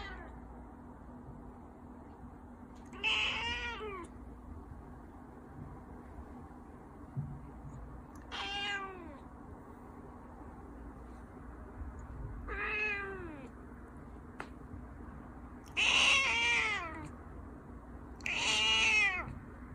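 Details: Persian cat eating indoors repeats falling, harmonic meows about every two to three seconds, five in all. The later ones are louder and brighter, over a constant low household hum.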